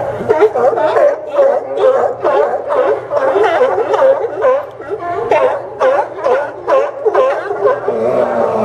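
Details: Many sea lions crowded on the Port of Newport docks in Yaquina Bay, Oregon, September 2015, keep up a steady stream of harsh, bouncing barks that overlap into a continuous noisy chorus.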